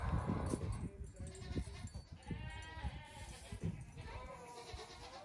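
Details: Farm goat kids, the eldest nearly two weeks old, playing in the morning before a rest in the sun; quavering bleats from more than one kid over frequent thumps and shuffling.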